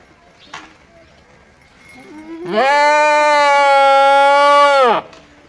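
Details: A single drawn-out goat bleat lasting about two and a half seconds, loud and even with a slight quaver, dropping off abruptly at the end; faint low murmurs before it.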